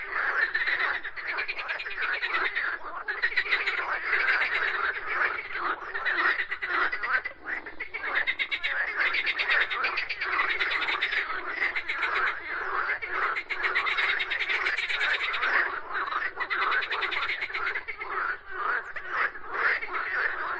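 A frog calls in a dense, continuous chorus of rapid, rattling croaks.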